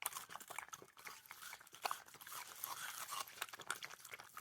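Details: Fluffy and Teddy, a pair of Maltipoos, munch on watermelon. Rapid, juicy crunches and smacking bites follow one another closely over a few seconds, recorded at close range.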